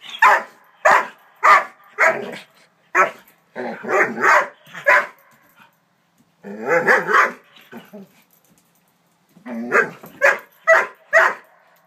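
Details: Scared of a toy horse, a nine-month-old Doberman barks repeatedly in loose clusters of sharp, mid-pitched woofs, some wavering into yelps, separated by short silences.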